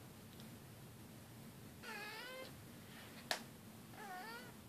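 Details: Domestic cat giving two drawn-out, wavering meows about two seconds apart, the first longer with a bending, slightly falling pitch, set against a low steady room hum with one sharp click between the calls.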